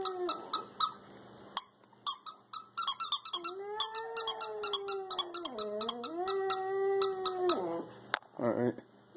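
A Schipperke gives a long, wavering howl over rapid, high squeaks from a squeaky toy.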